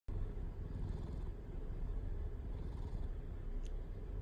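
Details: Domestic cat purring, a cat said to start purring very readily; steady low rumbling throb continuous throughout, with a brief faint click near the end.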